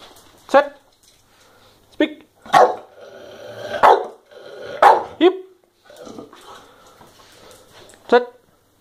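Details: Staffordshire Bull Terrier. A Staffordshire Bull Terrier barks in short, punchy bursts spaced a second or two apart, eager for an expected treat. A person's voice can be heard faintly between the barks.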